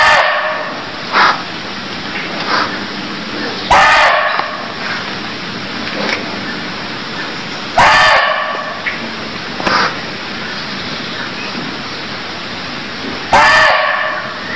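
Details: Cambodian deer giving short, loud, hoarse calls, each a single harsh bark spaced about four to six seconds apart, four in all, with faint chirps and a steady hiss of background noise between them.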